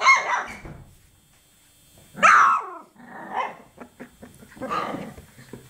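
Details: Several 24-day-old chocolate Labrador Retriever puppies yapping and growling: a rough opening bark, then a loud high yelp, followed by softer squeals and snuffling noises, ending on another harsh bark.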